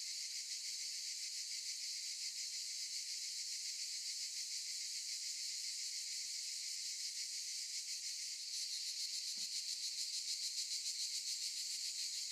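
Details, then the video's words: Cicadas singing in olive trees, heard through a window: a dense, unbroken high buzzing hiss with a fast shimmering pulse, briefly shifting in texture partway through, then continuing steadily to the end. "Sound of cicadas"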